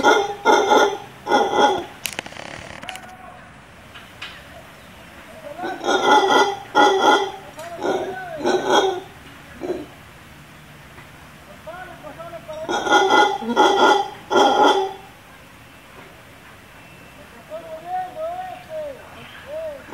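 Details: Wild howler monkeys above the pool and tennis court at a Playaverde, Costa Rica visitor residence calling back to a person: loud rasping roar bursts in clusters separated by quieter gaps, with a human voice and softer sounds between.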